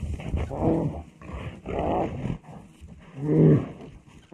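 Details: Rough, low growls come from bears in a fierce fight, delivered in three throaty bursts separated by short pauses.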